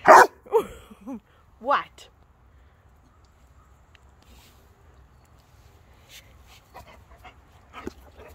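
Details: Rhodesian Ridgeback at play; three short, whiny yelps rising and falling in pitch within the first two seconds, then near silence with faint later sounds as a person talks to the dog.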